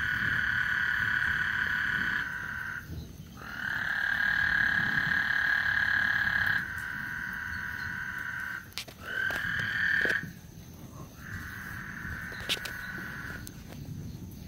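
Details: Several trilling frogs overlap at Lake Houston as a thunderstorm approaches; high buzzy trills of two to four seconds start and stop irregularly, with a few sharp clicks and a soft low rumble behind.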